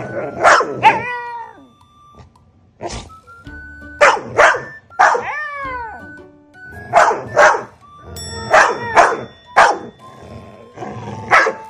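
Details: Shiba Inu cornered by a Labrador lets out a cat-like "nyaa-o": short bursts of yelping, harmonic cries that slide downward in pitch, mixed with sharper barks and yips, over steady background music.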